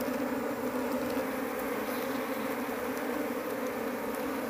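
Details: Loud, even buzzing from a numerous Apis cerana honey bee colony while the queen is hunted for home rearing; the low drone stays unbroken, with faint ticks of handling above.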